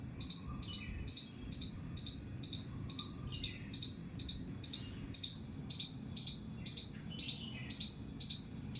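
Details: Terrace-garden squirrel repeating shrill, clipped squeaks roughly twice a second in an even rhythm. Soft lower whistled bird notes appear between them over a low background hum.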